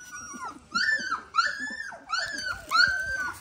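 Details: High, arched squeals from 18-day-old Dalmatian puppies, fed and starting to settle under a heat lamp. Four or five bursts about half a second apart, each rising then sliding down.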